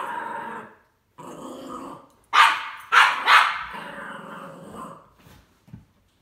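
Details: Norwich Terrier reacting to a C-3PO figure: long rumbling growls, then three loud sharp barks in quick succession, another drawn-out growl, and a faint final yip.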